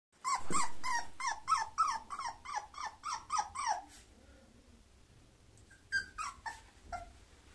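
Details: Bulloxer mixed-breed dog, a puppy from a breeder, indoors in a small room: a rapid run of about ten high whining yelps with falling pitch, then a quiet pause and a few more whimpers.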